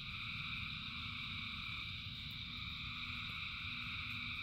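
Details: A frog chorus in rain: many callers blend into a continuous shimmering drone of stacked high pulsing tones, with a constant low wash of falling rain beneath.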